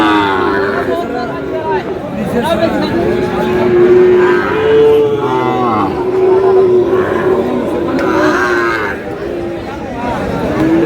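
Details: Sahiwal bull calves being bought and sold at the opening of Aftabganj market, Dinajpur, Bangladesh, 30 June: a series of irregular moos, some long and wavering, heard through busy market talk and buyers' haggling.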